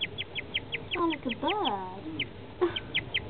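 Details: A guinea pig suddenly starts chirping in quick, high, bird-like pips, about five a second, broken midway by a brief murmuring human voice; an unusual noise its owner had never heard from a guinea pig.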